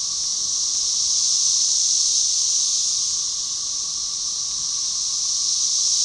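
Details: Brood XIX cassini periodical cicadas (Magicicada tredecassini) calling as one along Arkansas's Buffalo River in late May 2011; continuous shrill buzzing wash that slowly rises and falls in volume, a faint lower droning tone running underneath.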